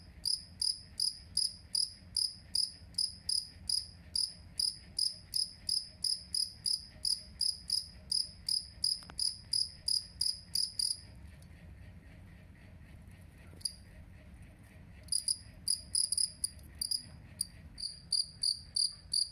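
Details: Jangkrik kalung, two-spotted cricket, used as bird-training master audio: rapid shrill chirps roughly every third of a second, then a few seconds of near silence with an isolated chirp, before the chirping resumes more unevenly.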